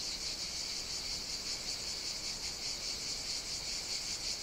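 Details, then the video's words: Cicadas singing on Evia, a Greek island, on a hot summer day; a sustained, piercing high buzz with slight rhythmic throbbing, free of other noises. "Cicadas Sing On the Greek Island of Evia"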